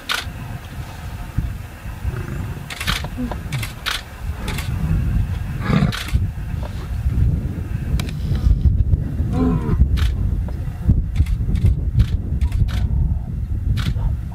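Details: Male lions in Chobe National Park, Botswana: two young males challenge two older pride males, with much bellowing and a brief fight. Deep, rumbling calls sit under heavy low-frequency noise, and a short harmonic moan comes near the end.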